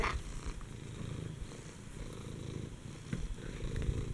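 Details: Furball, a pet cat, female, at least seven years old and quite fat, purring at home with a continuous, even low-pitched rumble and little else audible.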